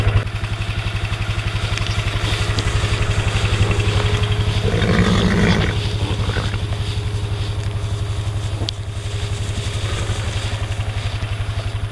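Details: Steady pulsing engine drone like a motorcycle or vehicle idling, with occasional clatter and scraping, no animal calls heard.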